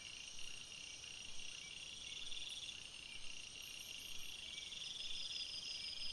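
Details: Night forest crickets give a continuous high-pitched trilling chorus, with a short pulsed chirp burst rising briefly above the steady buzzing background.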